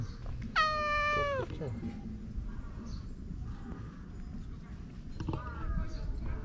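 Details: Japanese stray park cat, affectionate and rubbing against a person: a sharp meow opening high and sliding down to a lower, drawn-out tone, then quiet, and a second shorter falling meow near the end over low background noise.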